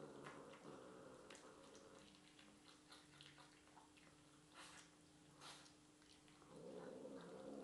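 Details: Domestic cat indoors, vocalizing while eating chicken stir-fry leftovers; short murmuring, harmonic calls at the start and end, with chewing clicks and soft room noise between.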